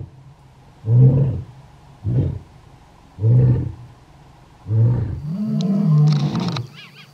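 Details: Lion in the Kgalagadi, Kalahari, roaring to claim territory and keep in contact with its pride; a run of short, deep grunting roars followed by a longer, louder moaning roar, over quiet bush background.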